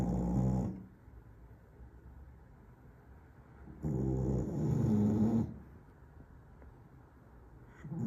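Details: A Staffordshire Bull Terrier sleeping and snoring. One snore fades at the start, then a long, growly, low rumbling snore follows with a quiet pause on either side. A new snore begins at the end.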